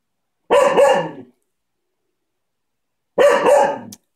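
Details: Two loud, rasping barks about two and a half seconds apart, each with a doubled attack, from Coco the cocker spaniel during ball play, with silence between them.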